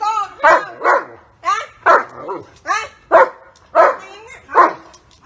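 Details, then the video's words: Protective German Shepherd barking at someone striking his owner, a steady run of loud, rough barks roughly every half second, each a short harsh burst. "Geman shepherd is protecting his owner from being hit"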